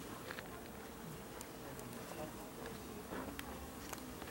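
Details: Bees humming at garden hives in Aarhus, Denmark, recorded 6 September 2014; a constant, level buzzing drone fills the clip, overlaid with faint ticks and light crackling.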